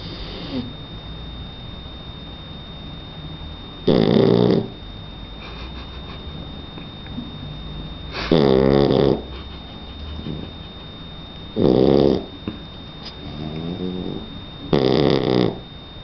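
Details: Donna, a 3-month-old Shar Pei puppy, snoring in her sleep: four loud, rasping breaths roughly every four seconds, low and throaty with a clipped top, separated by quiet breathing and a steady electrical hum.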